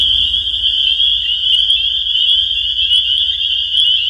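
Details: Massed spring peepers give a shrill, continuous ringing of overlapping peeps, with a few sharper individual calls standing out above the steady chorus.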